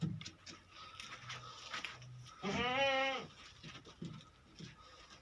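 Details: Beetal goat kept at a farm in Hanumangarh, Rajasthan, among three adult females: a single clear, vibrating bleat near the middle of the clip, with low murmuring and background hiss around it.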